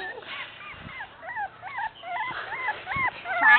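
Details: Beagle puppies whimpering in a series of short, arched, whiny yelps that rise and fall in pitch, several in quick succession, with a person talking nearby.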